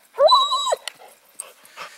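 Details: Dog whining during an outdoor morning IPO obedience session while holding a PVC retrieve object; one rising, then level, tonal whine lasting about half a second, followed by faint rustling.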